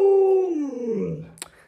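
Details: Alaskan Malamute in a room, one of several dogs pressing around their owner to get into the bed. A single short howl starts steady and clear, then slides smoothly downward into a low fading moan, followed by a brief click.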